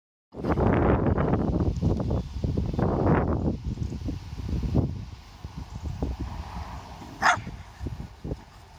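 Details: A Staffordshire Bull Terrier gives rough, low barks and grumbles while trying to get a Jack Russell Terrier to play.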